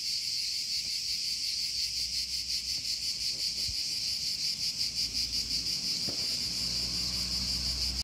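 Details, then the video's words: Tsitsikas, the local name for cicada, producing an unbroken shrill buzz with quick regular pulses, close to three per second, throughout. A few soft low thumps and background hum are also present. "THE SOUND OF TSITSIKAS"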